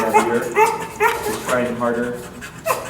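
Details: Anxious dog staying inside a kennel as its stress levels rise, whining in a series of about six rising, nasal whimpers spaced roughly half a second apart, with faint room noise between them.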